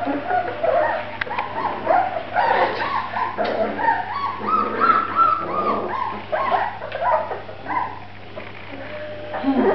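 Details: Grand Basset Griffon Vendéen puppies from a litter, several pups calling at once in a steady stream of overlapping whimpers, squeaky yips and short whines, tonal and mid-pitched, with no clear pauses throughout.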